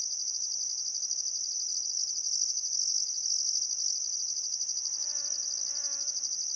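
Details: Crickets chirping at sunset by the Barcoo River in Welford National Park, Outback Queensland, Australia, on a still summer afternoon: a steady high continuous trill with brief higher pulses, and a faint harmonic bird-like call near the end.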